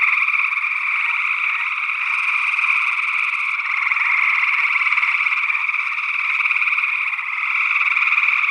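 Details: Early June 2022 chorus of gray tree frogs in Northwest Wisconsin, recorded in stereo ORTF with small condenser microphones. Many callers blend into a constant, slightly pulsing trill that swells and fades gently throughout.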